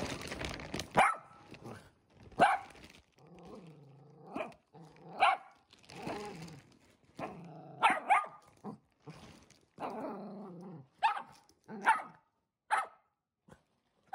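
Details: Timid year-old Shetland Sheepdog facing off against a delivered mattress indoors, alternating loud sharp barks with low rumbling growls between them, barking roughly once a second near the end.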